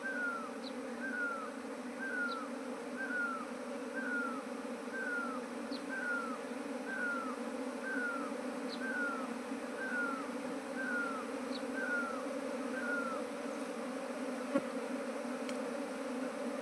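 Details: Swarming bees drawn to a trap box, yet unwilling to move into a changed modern hive box, keep up an even, unbroken hum; a falling whistled call repeats steadily about once per second.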